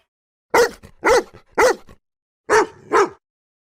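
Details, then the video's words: Dogs, called cão or cachorro in Brazil, bark five times in a quick, uneven series, three close together, then a short gap and two more. "som de cachorros latindo, chorando, uivando, bravos"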